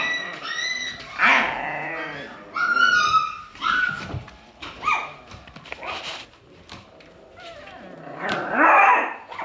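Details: Alaskan Klee Kai puppy producing thin, high whining cries and short yelps, some notes sliding upward, separated by quieter gaps, ending in a louder rough whine; indoor setting with faint human voices.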